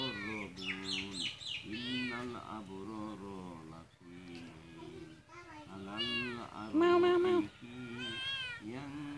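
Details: Domestic cat meowing repeatedly in high, arching, wavering cries that rise and fall, overlapping a person talking steadily in Bengali throughout.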